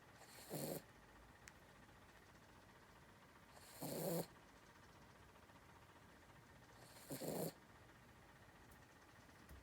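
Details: Dog asleep and snoring, three husky breathy snores spaced about three seconds apart with near silence between them.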